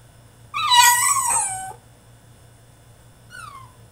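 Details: Caged male French Bulldog mid-tantrum, letting out one loud, drawn-out whining cry that wavers and falls in pitch, then a short, quieter falling whimper after a pause; faint low hum throughout.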